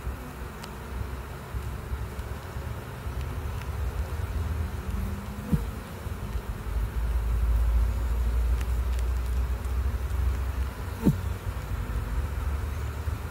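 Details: Honey bees flying into the hive make a continuous low hum. A few sharper buzzes glide up and down as single bees pass close, and a couple of brief clicks stand out against the deep background drone.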